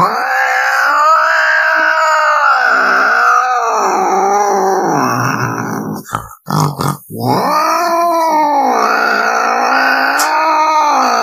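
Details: Cat giving long, continuous wavering yowls that rise and fall in pitch for several seconds at a time, with a brief broken pause midway before the drawn-out moaning call resumes.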